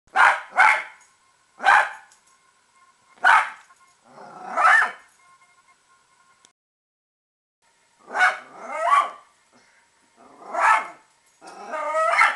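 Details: Pet Italian Greyhound barking at squirrels, which she hates: sharp, bright barks in quick pairs and singles, some with a rough edge, a pause of about two seconds mid-burst, then more barks, loud and close.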